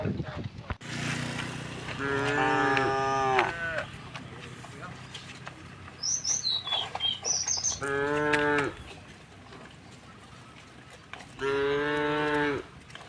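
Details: Tame cows herded home to the pen through a village road in the afternoon: three long, harmonic moos, the last two after pauses of several seconds, with brief bird chirps in between.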